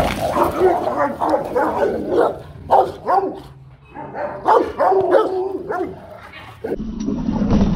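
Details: Rottweiler guard dog barking in deep, rough bursts of uneven rhythm, several barks close together, mixed with a man talking and giving commands, a brief lull midway before the barking resumes.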